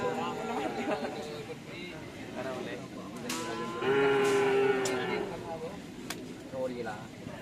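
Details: A drawn-out, even-pitched lowing call from cattle lasting about a second, at karapan sapi bull-race practice in Asemanis, Pamekasan, amid loud talking from the gathered crowd and occasional clacks.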